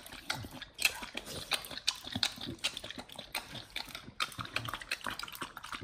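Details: Pit Bulls gnawing a raw beef trimmed chunk, quail egg and duck wing combo, BARF-style, filmed close as ASMR; scattered loud wet bites and crunches separated by brief quieter gaps, some lip-smacking.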